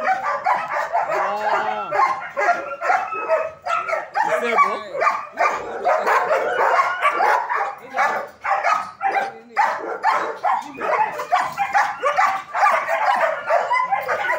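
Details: Training-academy German Shepherds keep up loud, irregular barking, about two barks per second from several dogs overlapping, with a few yelping, whining notes mixed in during the first seconds.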